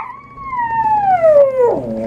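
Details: Toy poodle singing to a person, one long clear howl that glides slowly downward in pitch for nearly two seconds before breaking lower at the end.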